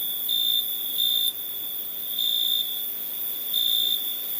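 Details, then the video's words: Crickets at night: a steady high ringing trill with louder pulses swelling every second or so, over a faint hiss. "Night ambience cricket sounds"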